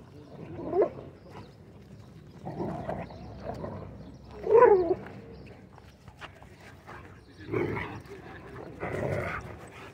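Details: Dogs at a dog park, with several gruff barks and vocal bursts spaced a few seconds apart, the loudest near the middle, over a steady outdoor murmur and light background chatter.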